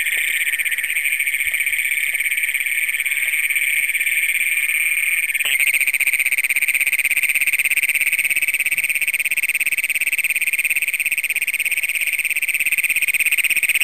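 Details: Great Plains toads, the first documented in Brown County, Minnesota, calling at night on June 27, 2010, recorded on a Canon Power Shot SX100: a deafening, unbroken high buzzing trill of rapid pulses that shifts in tone midway.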